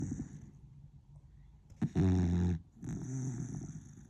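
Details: Sleeping pet beagle snoring: low, rumbling, rattly snores, with one loud drawn-out snore near the middle followed by a second longer, softer one.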